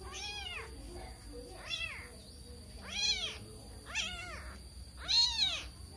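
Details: A kitten, bewildered and looking for its mother, gives five shrill, rising-then-falling meows roughly one second apart. The last meow is the loudest, and a faint hum sounds underneath.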